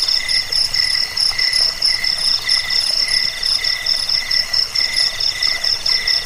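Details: Crickets (jangkik) in a recording offered to repel rats, aid sleep and tutor songbirds; high, shrill pulsed chirps in several stacked pitches, pulsing roughly one and a half times a second over a constant ringing drone.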